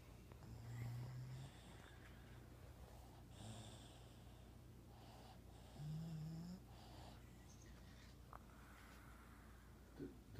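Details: An adult female Boston Terrier, five years old, snores softly while snoozing on a couch, with low rumbling breaths every few seconds; the owner calls it the "yap flap" part of her snore.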